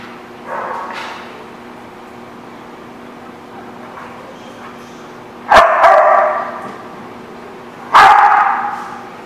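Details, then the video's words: Dogs at a dog park on 21 October 2016: two loud, sharp barks about two and a half seconds apart, with a fainter yip early on over steady background hum. "The Barking Lot"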